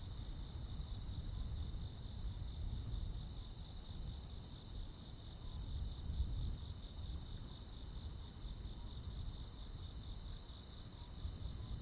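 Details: Midsummer night insects, crickets among them, in rural Korea: a continuous high trill overlaid with fast rhythmic ticks, over a constant low-frequency rumble.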